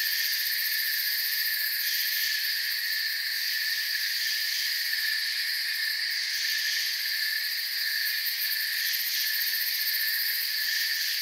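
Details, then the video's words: Steady nocturnal-style forest ambience of crickets: many insects chirping at once into a smooth, high, ringing drone that never pauses, with slight pulsing in the highest tones. "Forest Sounds and Crickets"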